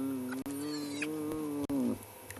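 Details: At Djuma Private Game Reserve, Ribbon's two spotted hyena cubs tussle over leftover fur, giving a long, level, buzzy whine that dips downward at its close, broken by two sharp knocks.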